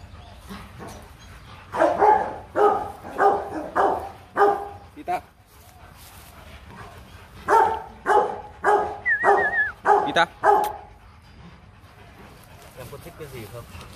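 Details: Rottweiler barking at the Gervi kennel in Vietnam around a breeding visit. Two volleys of quick, repeated barks are split by a quiet pause. People talk in the background and a brief chirping whistle is heard.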